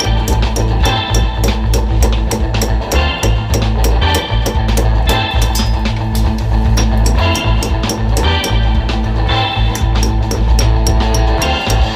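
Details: Loud rock music with driving drums, heavy bass and guitar fills throughout, with no animal voice audible.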